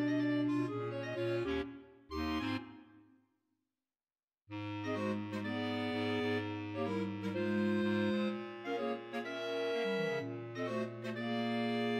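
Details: Accordion-like reed music with sustained chords, broken by a short silent pause, then resuming with a melody.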